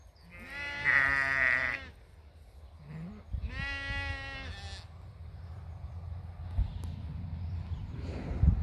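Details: Sheep bleating twice, each a nasal, wavering call about a second long with rich harmonics, followed by low rumbling background noise and a soft shorter call near the start.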